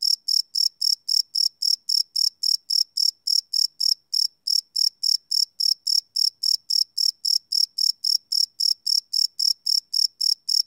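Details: At night a cricket chirps in a fast, regular train of bright high-pitched pulses, about four each second with one short gap, recorded live without loops on a Sony PCM D100 field recorder.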